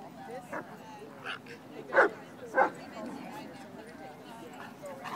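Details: A female Shiba Inu, about 8 months old, plays at a dog park with a dog 4-5 times her size. She gives sharp, short barks, two loud ones close together with softer yips around them, over outdoor human chatter.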